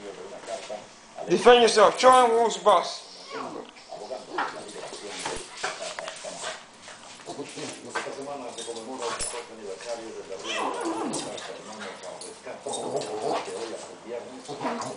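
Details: Boston Terriers playing rough, one a small feisty female, give a burst of high, wavering play growls and whines while a person speaks.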